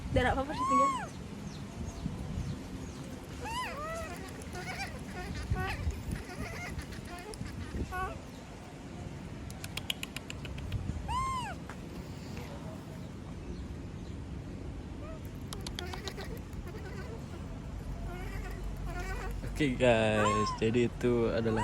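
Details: Monkey left alone by everyone, a female, repeatedly screaming. Arched piercing shrieks come in scattered bursts with pauses between, and a cluster of wavering cries near the end over constant low background noise.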